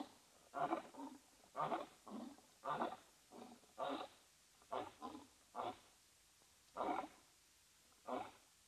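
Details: Two male lions vocalising while scent marking in northern Namibia's arid savannah beside Etosha National Park, webcam recording; a closing series of short, clipped grunts, roughly one per second, fading to wider spacing near the end.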